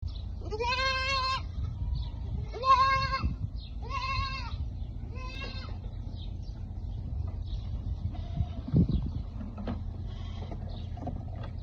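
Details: Baby goat drinking milk on a goat farm in a foreign country. Four harmonic, nasal bleats come in the first six seconds, spaced about one to one and a half seconds apart. A steady low rumble runs underneath, with faint shuffling afterwards.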